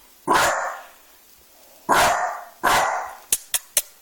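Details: A young Dachshund that has just learned to bark gives three loud, hoarse barks at his own reflection in a fireplace glass screen, mistaking it for another dog looking into the home, and wags his tail.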